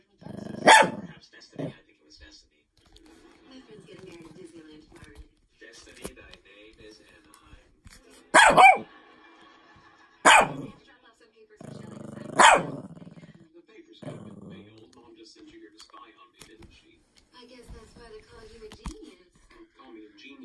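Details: Shih Tzu dog, female, angry at a fidget cube, giving four sharp loud barks spaced a few seconds apart, with quiet clicking and handling noise between them.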